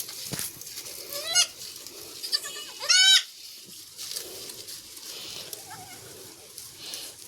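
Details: Goat kids on a goat farm, from a litter of four born to one doe in a single delivery; two short wavering bleats, the second louder and harmonic-rich, over low background noise.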